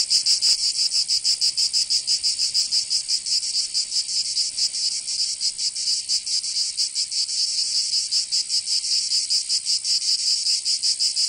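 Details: Chorus of cicadas heard in summer in Provence, south of France: an intense sizzling buzz with irregular throbbing pulses, continuous and dominant, no other sounds present.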